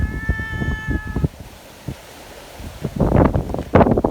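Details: Friendly community cats out together in strong wind, asking to be petted; one steady meow lasting about a second at the start, then gusting wind and rustling dominate.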